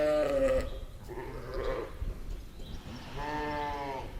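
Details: Ewe and lamb sheep in a meadow giving three wavering bleats: a clear one at the start, a rougher, breathier one next, then a cleaner, steady bleat near the end.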